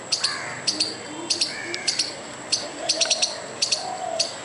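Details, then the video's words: Angry squirrel chipping at a dog and a person: short, sharp, high clicks in pairs and a quick run of four, spaced around half a second apart, over a faint murmuring background. "squirrel trying to scare a dog and me by making furious noise"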